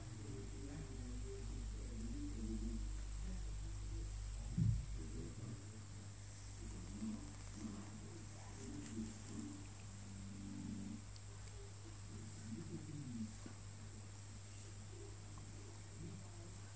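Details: Pet cat OkiOki, unhappy at being groomed, keeps up a low grumbling moan in short wavering bursts, with one brief knock and a constant low hum in the room.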